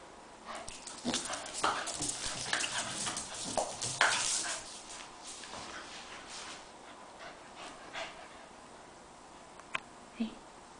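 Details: Roxy, a pet Staffordshire Bull Terrier bitch, chasing her tail: a busy run of short whimpers, yelps and panting bursts packed into the first five seconds, then quieter scuffling with a few faint sharp clicks near the end.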